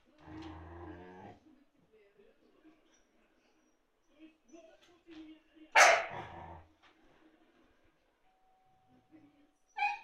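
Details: Siberian Husky indoors, provoking a second husky to play while the other lies calmly under a sofa; a drawn-out harmonic whine-howl opens, then soft murmurs and one sudden loud yelping burst near the middle, with a short yip at the end.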